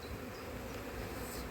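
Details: Honey bees on a frame of a split colony during a methodical hive inspection in cold weather, 2024, with no eggs yet and the queen possibly unmated; a steady low droning hum with faint higher overtones.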